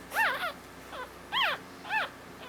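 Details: Newborn Havanese puppy, a female born on Valentine's Day, giving thin, high squeaking cries, each an arched rising-then-falling squeal, four short cries in under three seconds against a quiet background hum.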